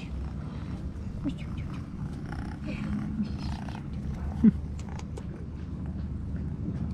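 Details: Stray tuxedo kitten living near the beach in Istanbul purring loudly after a meal, climbing on a person to play: dense low purr with soft background rustling and a single sharp click.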